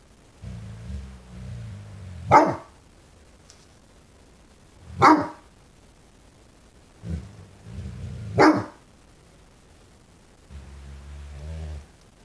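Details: Five-month-old fawnaquin Great Dane puppy, wary of a new candlestick in the window, gives three separate sharp barks a few seconds apart, with low grumbling growls in between and before them.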